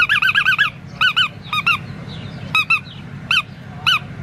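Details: Black tri male Australian Shepherd puppy giving high, squeaky whines in short arched notes, some in quick runs of four or five, others paired, with gaps of about half a second, over a low steady hum.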